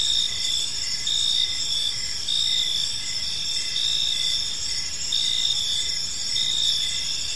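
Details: Several crickets chirping together in a park as evening falls; high, bright trills layered into a constant ringing, with short rhythmic chirps pulsing through and a faint low rumble underneath.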